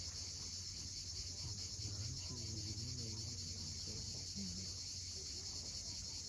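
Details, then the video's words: At sunset on Crimea's steep Cape Fiolent coast, cicadas keep up a continuous high-pitched buzzing drone. Low wavering sounds and the wash of waves sit beneath it. "Cicadas at sunset."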